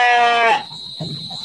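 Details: Large Garut sheep held in a pen in Indonesia ahead of the 2024 Qurban: one short, sharp bleat of half a second that ends abruptly, then low rustling and a faint steady high tone.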